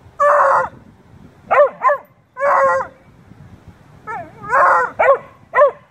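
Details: Two dogs, a Beagle/shepherd mix and a Blue tick, talking and playing: drawn-out, wavering harmonic howls and short yodeling yips in bursts separated by brief pauses, with a quiet background.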